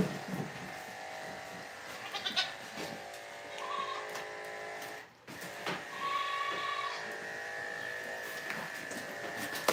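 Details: Goats at The Willful Goat Farm & Home, heard during a live farm broadcast: a few short, wavering bleats rise above a steady mechanical hum, with scattered clicks and knocks in between.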